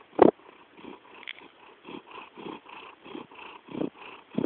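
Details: Domestic cat purring, possibly snoring: a soft, steady rhythmic rumble pulsing about twice a second, with a few louder breathy throbs at the start and end.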